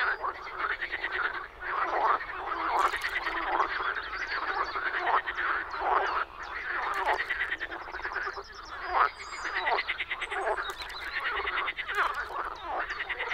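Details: Several frogs croaking in spring, Czech Republic, their rough, grating calls layered into a steady, softer chorus with rhythmic swells and a few sharper clicks scattered through.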